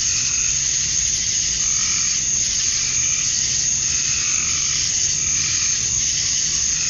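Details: Male cicadas calling to attract females at dusk on a summer night in Georgia, USA: a dense, unbroken high hiss of many insects, with softer pulsing trills swelling and fading every second or two underneath.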